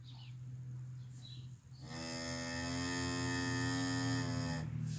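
A cow gives one long, rich moo lasting about three seconds, after a low steady hum.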